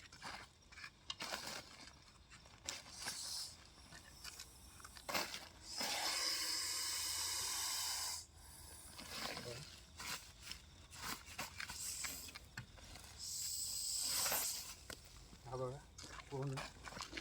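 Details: Russell's viper, locally called ghonas, caught by a snake rescuer at a home and brought to be released in a safe place; long breathy hisses from about six to eight seconds and again near fourteen seconds, with handling clatter and men talking.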